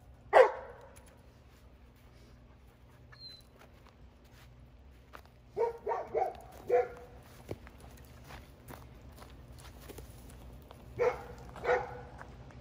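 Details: Jada, a female Giant Schnauzer puppy in protection training, giving scattered barks: one loud bark, a cluster of four softer barks near the middle, then two more near the end, with footsteps and faint background noise.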